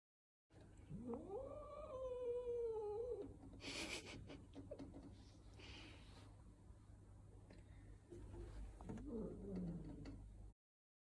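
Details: Local cats in Italy visiting a newly arrived cat, greeting with cheek touches; one long, low, wavering yowl rising then sliding down over two seconds, later a shorter moaning call, with rustling and thumps between.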